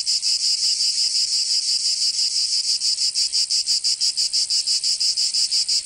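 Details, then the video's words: Cicadas in a southern French summer in Provence, their high, harsh buzz pulsing quickly and regularly in a constant wall of sound, nothing else audible. "Canto Cigarra 🦗 [ Escuchar les cigarras en verano 10 H]"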